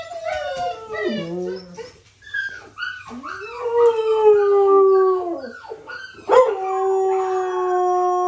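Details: Crying puppy giving long, drawn-out howling wails that slide downward, broken by brief yelps, ending on a steady sustained tone.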